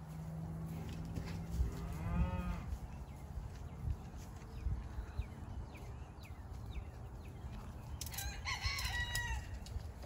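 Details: Loud cows on a homestead: a low, drawn-out moo with stacked harmonics over the first two seconds, then a rooster crows near the end over steady outdoor background noise.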